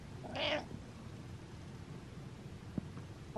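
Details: A pet cat named Butters gives one short harmonic meow near the start, followed by a quiet room with a faint click.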